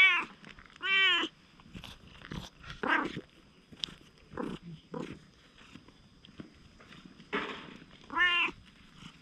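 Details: Stray cat, first cautious and then affectionate: two short meows at the start and end, with scuffling, rustling and chewing-like clicks between them.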